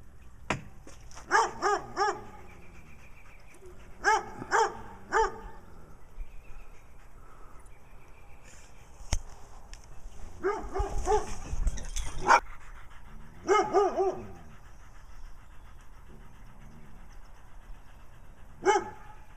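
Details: In Wadena, Minnesota, a brown dog barks while Stella, a dog with black eye patches, acts nutty, both seeking attention; bursts of two to four barks with gaps, plus rustling, thumps and scuffling midway.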